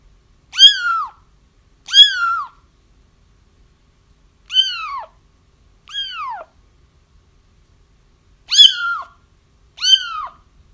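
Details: Repeated crying from kittens, used to help catch their feral mother: six high, falling mews with ringing overtones, arriving in loose pairs and singles over ten seconds, no background noise.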